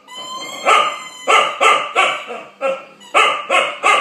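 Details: An 8-month-old female Chow Chow barks in loud, harsh bursts, several in quick succession, at a bulldog over his bone.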